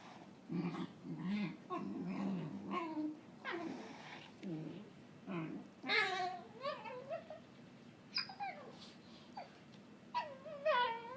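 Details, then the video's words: Cookie, a dog, making odd gremlin-like noises while playing indoors with another dog, Bane; low growly grumbles give way to higher whiny squeals with falling, wavering tones in scattered bursts. "Weird dog noise"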